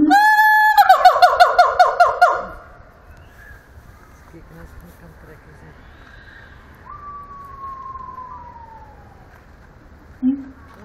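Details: Singing siamang at Antwerp Zoo: a loud harmonic scream and fast pulsed barks for about two seconds, then quiet with a long, smooth, falling whistle and one short low hoot at the end.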